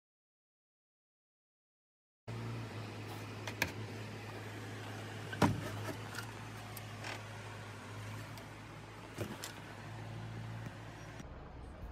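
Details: A brief silence gives way to a steady low engine-like hum, with a few knocks and thumps and no animal voice.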